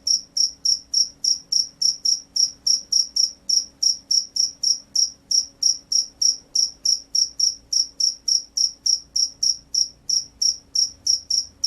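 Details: Field cricket chirping gacor in a long, even series of about forty crisp, high-pitched pulses at roughly three per second, with almost no pauses over a low, quiet background hum.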